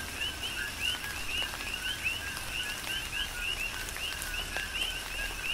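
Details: A chorus of coqui frogs calls through a tropical rain shower on Hawaii's Big Island. Clear upswept high notes, each paired with a lower tone, repeat quickly from several frogs over constant rainfall and pattering drops.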